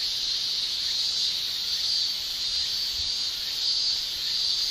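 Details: Shrilling of male cicadas during a Japanese summer, made by the tymbal: a dense, high-pitched steady whine with faint pulsing, constant from start to finish.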